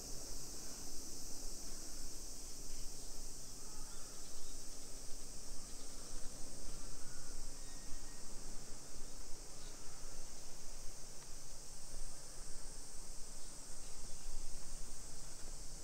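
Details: Summer cicada chorus along residential streets in Nisshin, about 20 km from downtown Nagoya, Japan, 28 July 2021, early afternoon. A constant high-pitched hiss drones for the whole stretch over a low background rumble from walking.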